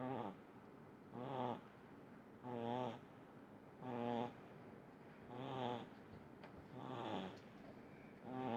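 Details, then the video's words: Little pug in deep sleep, snoring steadily: rhythmic buzzy nasal snorts with rippling harmonics, seven breaths in under nine seconds, roughly one every 1.3 seconds, quiet room between. "Видео как храпит маленький мопсик"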